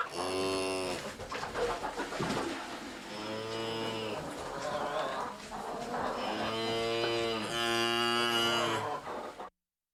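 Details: Cows in a barn give several deep, drawn-out moos, each a steady low bellow lasting about a second.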